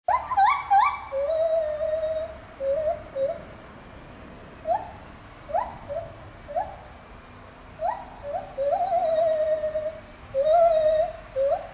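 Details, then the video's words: Lar gibbon singing at Safaripark Beekse Bergen on 9 July 2021, a captive animal: clear whooping notes, some sliding upward in pitch and others held as long wavering tones, arriving in irregular bursts with short pauses. "Lar Gibbon singing"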